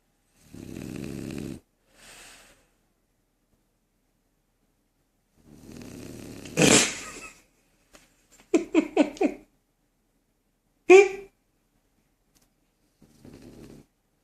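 A French Bulldog snores in rough, rattling bursts separated by quiet pauses.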